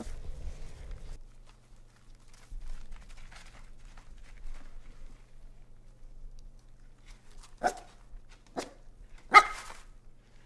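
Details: Hungry Corgi indoors barking to wake its sleeping siblings: after a quiet stretch with faint low rumble and soft shuffling, three short, sharp barks ring out about a second apart near the end.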